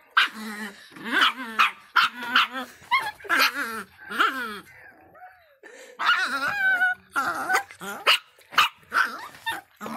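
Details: Small, angry Miniature Pinscher named Faísca barking in rapid sharp yaps mixed with growling and rising whines, the bursts tumbling over each other with hardly a pause.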